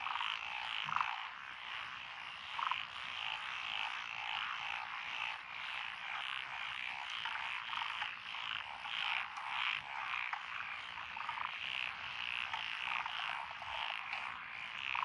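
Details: Frog chorus from lotus rice paddies by a country road in Echizen, Fukui, Japan, 12 June 2021. Japanese tree frogs, black-spotted pond frogs, wrinkled frogs, Schlegel's green tree frogs and forest green tree frogs are in it. Dense, continuous overlapping croaking with brighter chirps recurring throughout.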